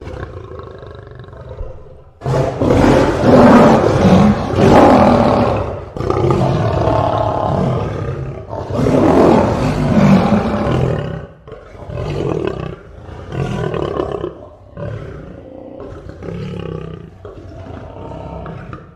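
A lion roars with deep, powerful bellows, then trails off into a series of shorter grunts.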